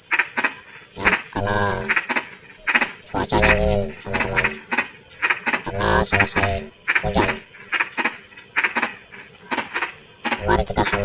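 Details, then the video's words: A dense frog chorus in drizzling rain, with rapid clicking notes mixed with several drawn-out, harmonic, rasping croaks, all over a persistent high-pitched insect drone. "SUARA KODOK HUJAN GERIMIS (drizzling rain frog sound)"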